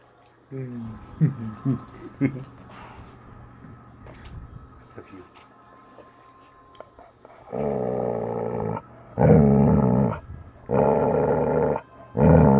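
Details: Bella, a chocolate Labrador Retriever, in a mood to play and very verbal about it: after soft indoor sounds and a few quiet murmurs, three loud, drawn-out, harmonic grumbling howls, each about a second long, come in quick succession.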